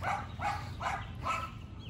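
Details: Yorkie Macy in a barking battle with two neighbouring dogs: four quick, rough barks about every half second over a steady low hum.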